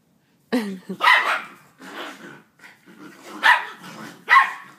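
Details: A pit bull and a Jack Russell fighting, with abrupt snarling barks and harsh growled bursts, uneven and spaced roughly half a second to a second apart, against short gaps of near quiet.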